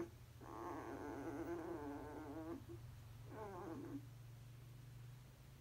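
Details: Dreaming basset hound puppies asleep; two moaning whimpers, the first about two seconds long and quavering, the second shorter, with a low steady hum underneath.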